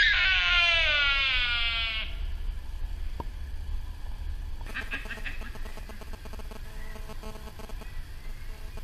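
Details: Sika deer at RSPB Arne, Dorset, on 15 October 2013: a loud, high harmonic whistle-scream lasting about two seconds, sliding gradually downward, followed by a softer wavering sound and a constant low outdoor rumble.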